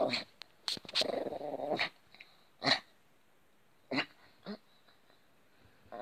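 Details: Yorkshire terrier during play: a throaty rumbling growl near one to two seconds, set among short sharp yaps and snorty bursts that recur roughly every second before fading into quiet pauses.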